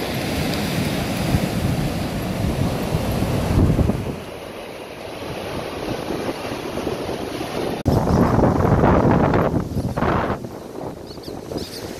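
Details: Crashing beach surf and heavy wind buffeting the microphone roar throughout, easing briefly midway, with no animal voice.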